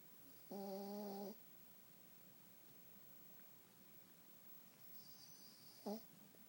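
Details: Pekingese Laela Buddy, a small dog in deep sleep, snores: a steady, droning, nasal snore with a faint high whistle lasts under a second, then a long quiet pause before a second short snort near the end.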